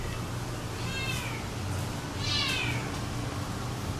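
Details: Domestic Shorthair cat up for adoption, recorded 11 January 2012, gives two meows about a second apart, with the second louder and arching in pitch, over a constant low background hum.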